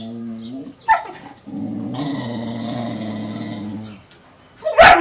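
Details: A German Shepherd puppy testing the patience of a mixed-breed dog gives low growls and a long, rumbling grumble, ending in a sharp bark.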